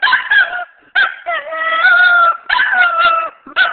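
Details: Shih Tzu singing in a session, a pet dog giving drawn-out wavering howls, each held about a second, separated by short yelps and brief pauses.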